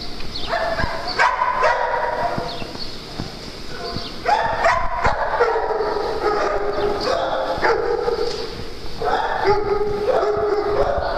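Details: Dogs at playtime on a farm bark in overlapping bursts, harmonic and mid-pitched, with several runs of rapid yaps separated by brief pauses and a steady background hiss.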